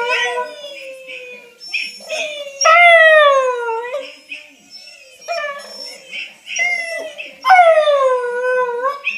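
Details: Female whippet Wylee howling at the sound of her own recording, with short broken yips between longer swooping howls that rise sharply and then slide down, repeated several times over about nine seconds.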